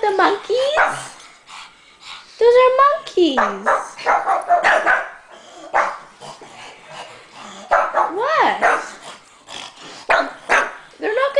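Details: A pair of pugs, Rolex among them, yapping at stuffed monkeys indoors: a dense run of high, sliding yelps and barks, some wavering and dropping in pitch, overlapping almost constantly with a woman talking to them.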